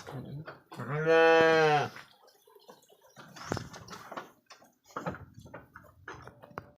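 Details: Purebred Garut sheep, three years old and large, kept in a pen: a single loud harmonic bleat lasting about a second, then quieter scattered knocks, rustling and shuffling in the pen.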